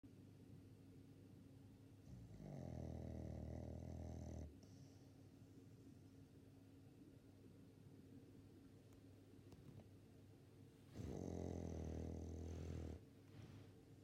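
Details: Sixteen-year-old female Labrador Retriever named El snoring while asleep indoors: two long, loud, low rumbling snores with a buzzy rattle, each about two seconds, separated by quiet breathing.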